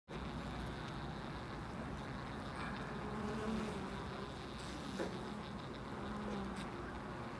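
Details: Bees at a loading dock, a steady low buzzing hum with drones swelling as individuals pass close around three and six seconds, over a broad background rumble and a few sharp knocks.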